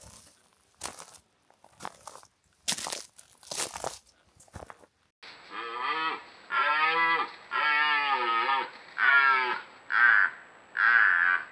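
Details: Red deer during the 2025 rut in the Považský Inovec mountains, wild in forest; after a few seconds of crunching footsteps, a series of six loud, harmonic bellows, each about a second long, with some rising and falling in pitch.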